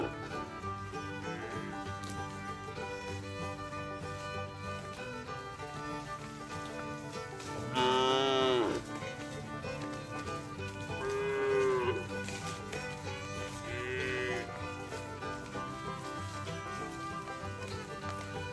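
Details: Grazing cows loose on green pasture let out three separate short, wavering moos spaced a few seconds apart, over continuous instrumental music with strings.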